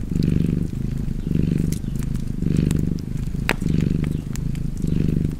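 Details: Cozy cat purr by a crackling fire: deep, continuous rumble that rises and falls about once a second with each breath, while snapping wood pops punctuate the background.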